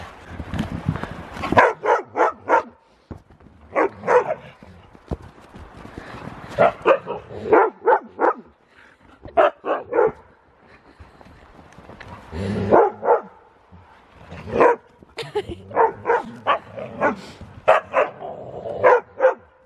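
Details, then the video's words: Pet huskies wrestling in play, looking like a fight but only playing. Rapid runs of sharp barks and yips come in bursts of three to six, with short pauses and scuffling between the runs. "Husky wrestling!"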